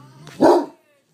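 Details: Great Dane named Kobee barking at the movie "Up": one short, loud, harsh bark lasting about a third of a second, preceded by a low hum and faint background sound.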